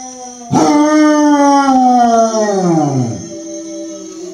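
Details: A female Basset Hound howls along with a dog singing on TV to music, giving one long, mournful howl that slides steadily downward before fading out.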